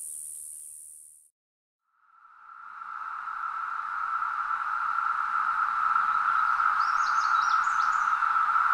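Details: Summer cicada mating call in Nova Scotia, Canada: a brief high hiss cuts off into a second of silence, then a steady, pure droning tone swells in and holds, with faint higher chattering near the end.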